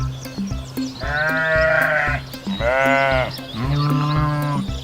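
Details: Sheep bleating for children learning Kazakh animal names: three long, wavering harmonic bleats, each about a second, over a steady background music beat with regular percussive taps.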